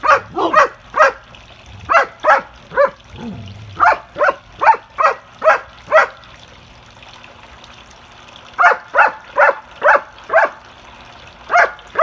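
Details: Dogs at play bark loudly in rapid, steady bursts, roughly two to three per second, with a brief low growl early on and a pause before the barking resumes.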